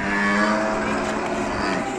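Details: An agitated, raging cow gives a single steady, low droning moo lasting about two seconds over rough background noise, recorded among Indonesian cattle.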